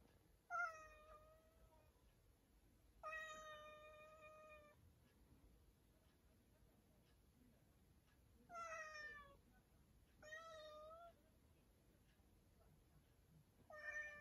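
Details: Five drawn-out meows from a cat shut in a storage room, each sliding a little downward, some with a wavering, plaintive tone, separated by quiet gaps of a few seconds.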